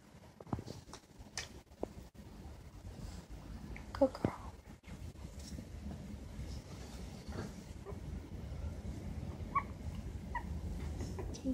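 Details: Silky terrier puppies Winnie and Chunk, 19 days old, eyes recently opened, taking wobbly first steps; a few thin, brief squeaky whimpers around handling clicks, bumps and a low background rumble.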